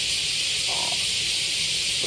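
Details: Cicadas in Japan at the height of cicada season give a steady, high, hissing drone that fills the air without a break.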